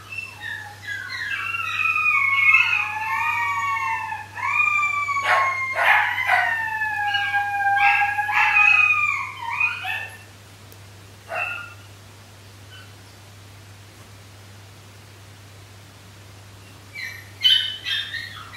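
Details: Three Shetland sheepdog puppies aged 13 weeks howling together at night, calling for their pack after one woke feeling alone: overlapping long, wavering tones sliding up and down, some held several seconds, ending abruptly with a short burst later.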